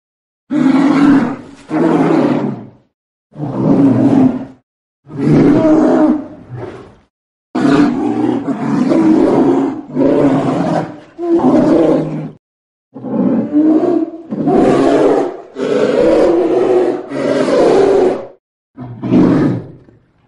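A polar bear gives a series of deep, rasping roars, each lasting one to two seconds.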